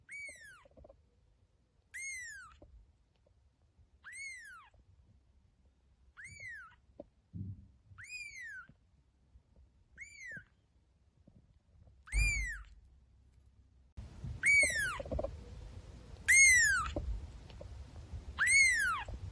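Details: Playing cats and kittens in a house: nine evenly spaced, high, arched meows about two seconds apart, the final three louder over rising background rumble and thumps.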